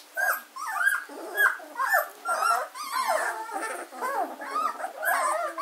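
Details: German Shorthaired Pointer puppies, 14 days old, at Katelands gundogs on 24 August 2016, several overlapping high squeaky whimpers and yips, rising and falling, rapid and irregular, about two per second.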